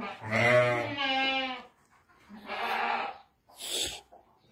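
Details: Sheep from seven ewes and a ram west of Ramallah, Palestine, giving two long, quavering, nasal bleats about a second and a half each, then a short harsh burst at the end.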